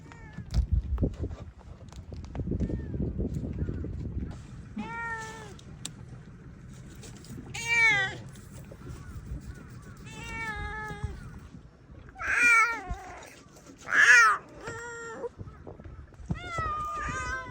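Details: Free-roaming domestic cats among hundreds living on Tashiro Island, Ishinomaki, Miyagi, Japan, meowing near the road: a series of drawn-out, wavering harmonic meows repeated every second or two, after low rumbling and speech at the start.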